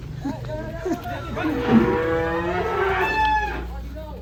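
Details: Giant Pegon cattle lowing: a drawn-out, harmonic-rich moo swelling in the middle and fading, with low background rumble and faint voices.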